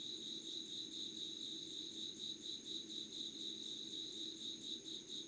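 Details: Insects calling before dawn, 05:00 on 25 August 2019, at Yugawara, Kanagawa, Japan, recorded unedited by candlelight: a dense, fast-pulsed high chirping, about two pulses per second, over a steady thin whine and a low hum.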